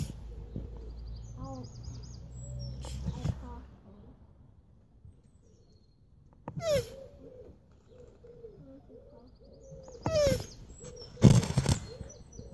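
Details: Hermann's tortoise named Oscar, a male, mating with a shoe; a few short squeaky notes, each sliding down and coming with a brief rough burst, spaced several seconds apart; twittering birds and a low hum behind.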